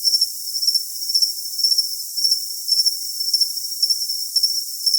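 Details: Cricket chirping in a high, thin, steady tone, pulsing in short bursts roughly twice a second, with a fainter overtone above and no lower sounds at all.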